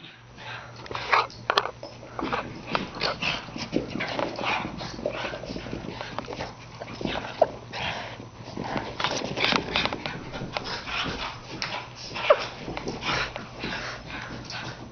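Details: Darcy, a foster Cairn Terrier with the Col. Potter Cairn Rescue Network, plays with Kinsey. Throughout, the dogs make rough, gravelly growls and huffs in dense, uneven bursts, with a few sharper peaks and a steady low hum underneath.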